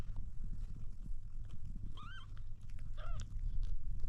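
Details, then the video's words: Kitten trying to drink milk, giving two short high meows about a second apart, the first arched and the second falling, over loud low rumbling and handling noise. "Kitten trying to drink milk"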